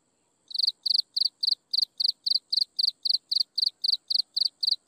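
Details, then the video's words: Insects chirping at sunset: a loud, high, pulsed chirp repeated about four times a second, starting after half a second of quiet, with a faint steady high hiss running behind it. "Listen to insects chirping in the sunset"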